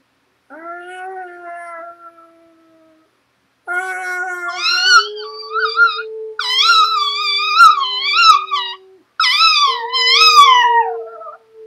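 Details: A Chihuahua, prompted by its owner to cry like a wolf, gives long, wavering, wolf-like howls that rise and quaver before trailing off.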